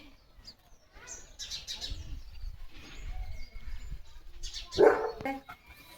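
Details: Leo, a German Shepherd, plays while holding a water mug in his mouth and gives one short, sharp bark near the end. Small birds chirp throughout, and voices are heard earlier.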